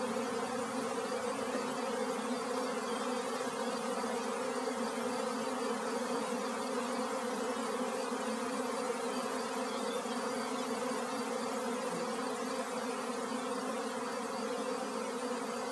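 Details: Honey bee swarm, a dense continuous buzzing hum with steady bands of tone through the low-mid range, unbroken and even in loudness throughout.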